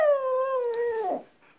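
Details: Brief, steady howl from a pet dog, called a wolf howl: one clear, sustained tone that drifts slowly downward, then breaks off into a rough fade.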